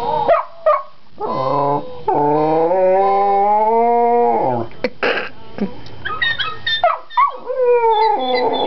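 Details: Shetland Sheepdog howling and barking in excitement as bird call recordings play from a handheld bird call identifier. Long sustained tonal howls waver and slide, broken by short sharp barks and yips, with brief electronic bird sounds.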